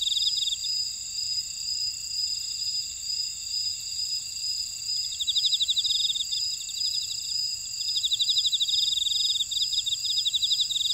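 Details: Grass insects in a buckwheat field at Ora-dong, Jeju City, on volcanic Jeju Island, South Korea: steady high ringing tones layered with bursts of rapid pulsed trills, the trills swelling louder in the second half.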